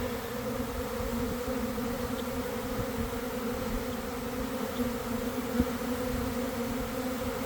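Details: Honey bees of a big swarm starting to go into a hive box: steady, dense buzz with deep layered hum, one brief tap midway.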